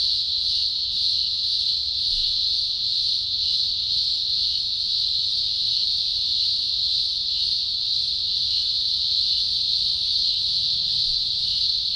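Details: Green grocer cicadas, thousands singing at a large emergence in the Blue Mountains, Australia, early October 2020; a deafening, continuous high buzzing drone holding steady throughout with slight pulsing, no other sounds clear.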